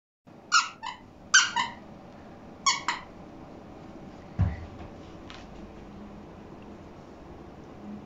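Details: Pug named Stella, a puppy indoors, barking because she wants attention while still looking sleepy; three pairs of short, sharp yappy barks about a second apart, then a thump and quiet room noise.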